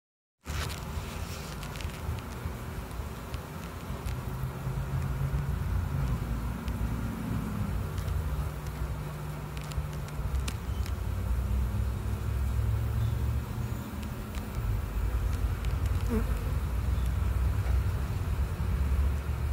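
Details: Honey bees entering their hive: a dense, low droning hum with individual buzzes that briefly rise and fall in pitch as bees fly past, over a steady low rumble and occasional faint clicks.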